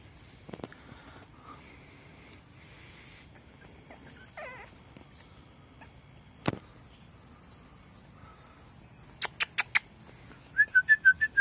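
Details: Yorkshire Terrier puppies at a family breeder in Amiens, Somme, France, with males available, give thin, high squeaky whimpers and a few sharp little yips in a quiet room.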